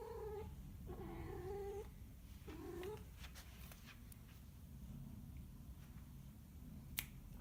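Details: Three short, quavering mid-pitched cat cries in the first seconds, followed by near-silence with faint ticks and a single sharp snap near the end.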